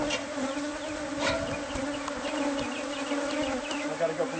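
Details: Swarming bees from a hive built inside house walls, being removed. An even, droning buzz of many insects with light clicks and handling noises over it.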